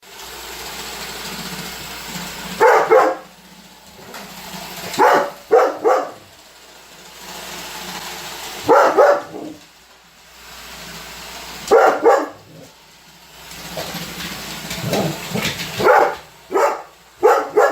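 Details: Holder, a Weimaraner dog indoors, barks at a running Roomba robot vacuum that annoys him. Short sharp barks come in doubled bursts every few seconds over the steady hum of the vacuum.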